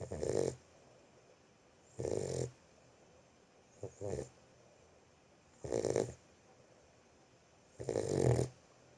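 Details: Boxer puppy sleeping and snoring, with loud rough breaths about every two seconds and a shorter, softer snuffle in between.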